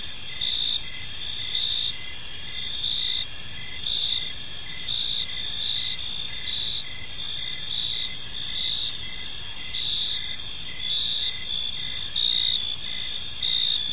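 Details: Crickets in a peaceful park at evening, a dense chorus of high, shimmering chirps in stacked bands, pulsing in soft bursts a little under once a second over a faint low background hum.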